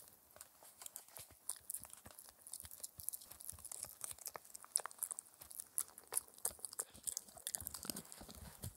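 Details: A 4-month-old Shetland Sheepdog puppy chews a raw air-dried ear as a dental treat, noisily, with wet crunches, clicks and gnawing in an uneven, steady rhythm.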